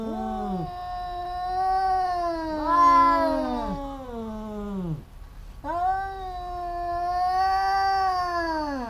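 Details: Two cats fighting, a pair that keeps squabbling. Overlapping drawn-out yowls with wavering, falling tails break off briefly near the middle, then one long steady howl resumes.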